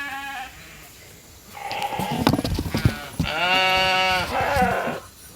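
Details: Sheep mob gathering in the holding pen for the evening grain feed at Nature Lane Fiber. Quiet start, then rustling and knocks before a loud quavering bleat about one second long, followed by softer overlapping calls.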